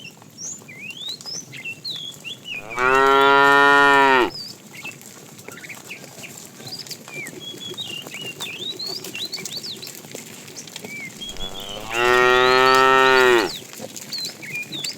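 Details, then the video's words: Two long, full-throated moos about nine seconds apart come from tame cows roaming the road for food, each lasting roughly a second and a half, with busy bird chirps and twittering filling the gaps. "Funny cow sounds"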